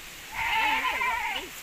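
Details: Goat kid from a Javanese goat and Boer cross breeding; a single drawn-out quavering bleat with a wobbling pitch, lasting over a second.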